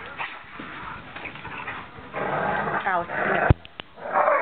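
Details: Great Dane dogs playing give short yips and whiny, rising cries amid muffled human voices and a sharp knock.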